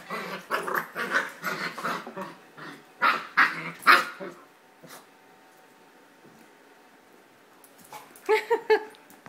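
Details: Puppy roughhousing for the first time with other dogs during a cage-free home dog-sitting stay in Jerusalem; bursts of yelping whimpers and growly yips, then a quiet pause of several seconds before a final quick cluster of sharp yelps.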